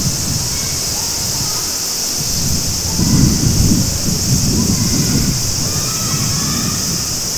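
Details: Cicadas in summer at Maruike spring-water pond, Mt. Kirishima, Japan: a steady, high, hissing drone holds unbroken throughout, over rumbling, gurgling running water from a clear stream that swells around the middle.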